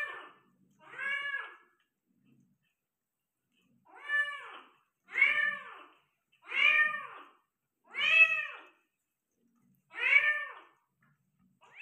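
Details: Meows from a Persian cat during delivery of five kittens indoors: seven arched, harmonic calls after a pause, coming roughly every second, fairly steady in loudness and pitch.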